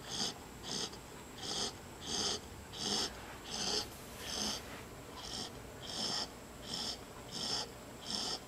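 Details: Snoring from Marley, a puppy dozing in an awkward sleeping place at home: a regular run of about a dozen hoarse, wheezy breaths, each swelling and fading, evenly spaced under a second apart.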